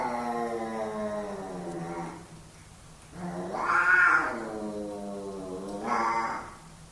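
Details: Yowling from two male house cats in a dominance fight, long moaning wails that swell to a louder, higher cry in the middle, then drop and rise again.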